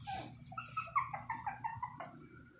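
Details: Shih Tzu puppies from a litter of six, about two and a half weeks old, whose mother had stopped nursing, indoors. They give a quick run of short, high, squeaky whimpers, several in a row with brief gaps, over a soft low room hum.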